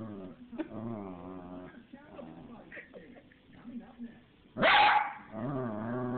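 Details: Small dog making low, drawn-out grumbling and moaning sounds, broken by one loud, sharp bark near the end, then more wavering whine-like vocalising.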